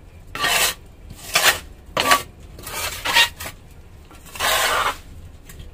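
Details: Repeated bursts of metallic, dish-like clattering and scraping separated by short quiet gaps, with no animal voice heard.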